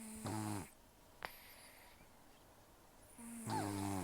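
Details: Taro, a rescued cat taken in October 2024, aged about 10 to 14 and nearly toothless, sleeps with very rough breathing: two harsh snores framing a quiet gap with a single sharp click.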